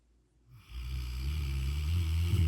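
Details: Rottweiler. A Rottweiler snores in a low, throaty rumble that begins after a moment of near silence. The rasping drone grows louder and stays steady, pulsing slightly with each breath.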